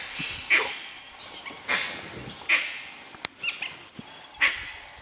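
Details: Brief piping whistles from dholes trying to hunt a tiger at Nagarahole National Park, repeated about every two seconds over a steady hiss, with a single sharp snap midway.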